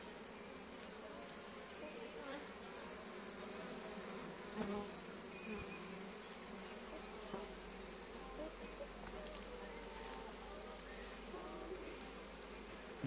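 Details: Strong traffic of honey bee foragers arriving with pollen, unusually heavy for the time of day; a continuous dense buzzing drone of many bees, with occasional sharper clicks and passing buzzes.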